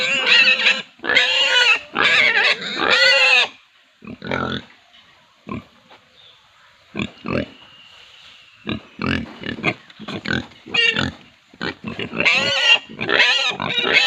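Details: Pigs on an Indian farm squeal in loud, shrill bursts, with shorter grunts and snorts between them.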